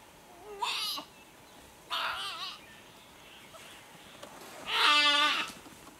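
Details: Young nyala calf crying desperately while held by a leopard, its mother risking herself to distract the cat; three loud, wavering, richly harmonic bleats, each under a second, spaced by pauses, over quiet bush background.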